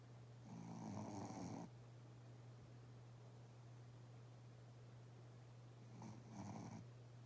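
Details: A sleeping Shih Tzu with twitching legs snores heavily, one long rough breath lasting about a second, then a shorter double snore roughly five seconds on, with a constant low hum between.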